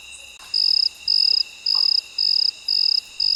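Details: At midnight a cricket begins calling after a brief pause, giving six sharp, high buzzing bursts evenly spaced about two per second, with steady faint insect drones behind and a few soft clicks.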